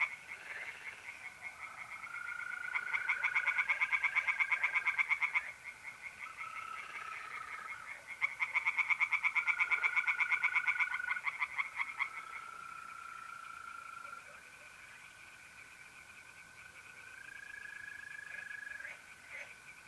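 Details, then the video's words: Singing tree frogs at a pond on an April night, north-east Italy: two loud bouts of rapid rasping pulses, then quieter stretches where the steady trills of mole crickets carry on alone. "relaxing singing tree frogs in pond and trilling mole crickets by night"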